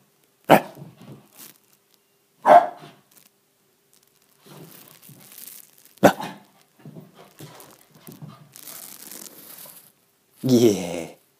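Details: Shiba Inu puppy in a frenzied play mode indoors in an apartment, burning off excess energy: three sharp, abrupt barks a few seconds apart, scuffling and rustling movement between them, ending in a strained, whiny yelp.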